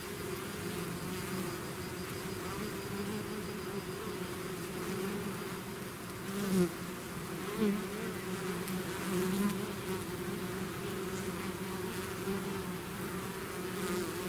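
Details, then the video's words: Swarm of bees out of its hive producing a steady, deep collective hum; several close passing bees add brief louder whining swells midway, the background drone never breaking. "bees therapy swarm natural buzzing sound"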